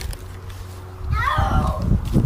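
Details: Pet cat called Bear, being coaxed over so it can be dried off, gives one short wavering meow that slides downward, against steady low household rumble with a person's coaxing voice just before and after.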